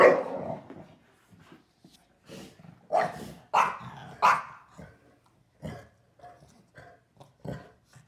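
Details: A Shar Pei and a Boston Terrier bark and growl in short bursts during their rough nightly after-dinner play.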